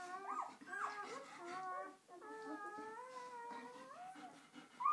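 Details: Newborn purebred German Shepherd puppies on their first day, from a litter of ten, five males and five females; overlapping thin whining cries with wavering harmonic tones, several pups calling at once with brief pauses.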